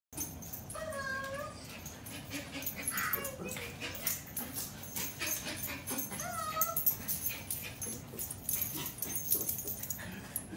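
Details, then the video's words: Excited pet dog reacting to its owner calling on FaceTime: high whining whimpers with bending tonal squeals around one and three seconds and again near seven, over constant rustling, jingling and faint background speech. "Doggy gets super excited to see owner on video call"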